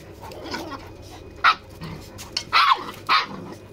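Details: Farm puppies playing with their big brother, named Achilles and Susan; a few short sharp barks and yips at irregular intervals over a steady low hum, with quiet gaps between.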